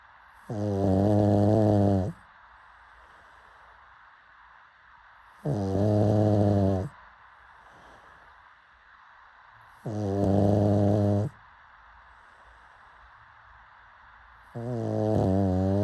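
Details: Steady snoring from a pug asleep: four rough, droning inhalations of about one and a half seconds, repeating at regular intervals of roughly four and a half seconds.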